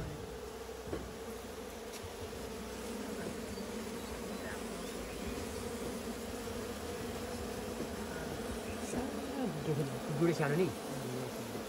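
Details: Honey bees of a local kind, hived inside a goat shed on a farm, hum steadily in a low drone; a few brief sliding tones and light knocks appear near the end.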